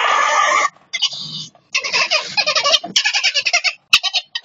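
A ferret gives a harsh, hissing screech followed by quick bursts of chattering clucks.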